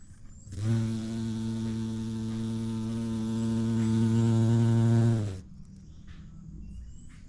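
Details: Bumblebee visiting a vibrant yellow orchid outdoors in natural light: a steady, low droning buzz rich in overtones swells for about five seconds, then cuts off abruptly, leaving quiet background with faint bird calls.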